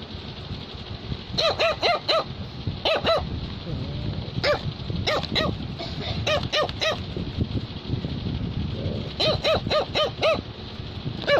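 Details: Barking Cavalier King Charles Spaniel wanting to tell its owner something: rapid bursts of three or four piercing yaps, repeated in several clusters across the stretch, with low music and household noise throughout.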